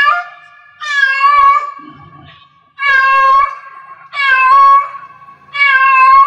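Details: Cat in heat calling with long, insistent wailing meows, about four in six seconds, each strained and harmonic-rich with a bending pitch, running almost back to back.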